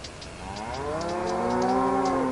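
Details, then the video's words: Cow giving a single sustained moo, rising slightly in pitch and swelling in loudness, rich in stacked harmonics, with soft clicking sounds behind it. "Cow Sound"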